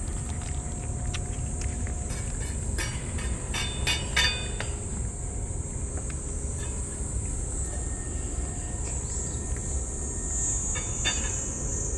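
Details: Outdoor rumble of a passing train with clacking wheels and a high steady hiss, with no animal calls.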